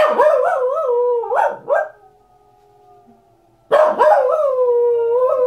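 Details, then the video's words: A Corgi howls along with wolves playing on a documentary. Loud, rich, wavering howls rise and fall, break off into short yelping notes, then resume after a quiet pause as a strong, steady howl. "Corgi howls along with wolves on documentary"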